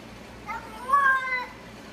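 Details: Domestic cat giving a single short meow, rising then bending down over about a second, with a faint second note after it, against a low steady background hum.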